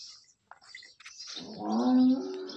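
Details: Freshly calved Holstein Friesian cow, second calving, tethered on a farm near Sinnar, Nashik district: a rising, droning moo begins after a second of faint bird chirps and rustling.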